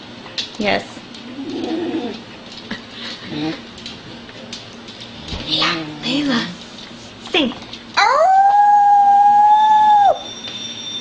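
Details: A female Beagle, adopted and long silent, gives one of her first-ever howls in spring 2009: a loud, sustained, steady-pitched howl after her owner's coaxing and howling.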